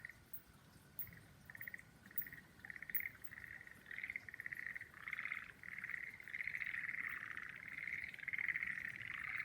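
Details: Frogs calling beneath cherry trees in full bloom: pulsed, rattling trills grouped in bursts, starting short and spaced, then merging into a nearly continuous chorus that grows louder.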